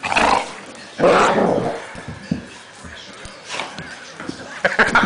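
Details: Dog angry at a blanket gives two loud rough growling barks early on, then quieter scuffling and a few short whimpering yips at the close.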